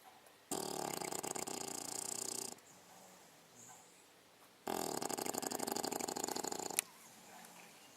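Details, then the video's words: Snoring from a sleeping English Bulldog, female, six months old: two rasping, rattling breaths of about two seconds each, a quiet gap of some two seconds between them, ending with a soft click. "english bulldog indy snoring"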